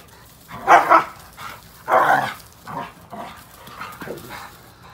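A Bluetick Coonhound gives loud, deep barks, two strong ones followed by softer, shorter barks.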